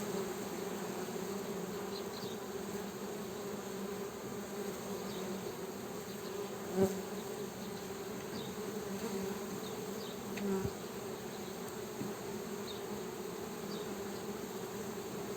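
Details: Honey bee buzzing as a steady, low droning hum that holds an even pitch throughout, with faint high chirps in the background and a couple of brief soft knocks.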